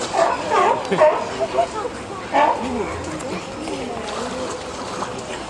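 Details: A California sea lion mother and pup relax at Higashiyama Zoo, giving short, harmonic, bark-like calls over a steady murmur of background voices.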